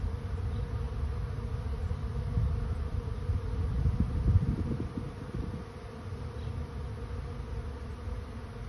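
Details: Honey bee swarm finding a new home: a dense, low, steady droning hum of many bees that swells in the middle and then eases off slightly, continuous throughout.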